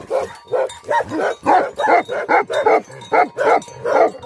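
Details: Angry Tibetan Mastiff, or Bhote Kukur, gives a fast series of deep, rough barks, a little more than one each second, each bark falling in pitch.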